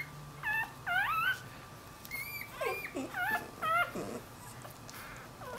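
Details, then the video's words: Newborn Dachshund-Jack Russell cross puppy away from its mother, giving short high whines with wavering, arching pitch, in small clusters separated by brief pauses; a steady faint hum lies underneath. "Puppy whines for Momma"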